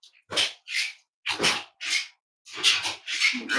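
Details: Cavalier King Charles Spaniel puppies snuggling indoors on a warm Friday morning, raised as emotional support animals; a run of loud, breathy, sneeze-like snorts and snuffles in close bursts, about six in under four seconds.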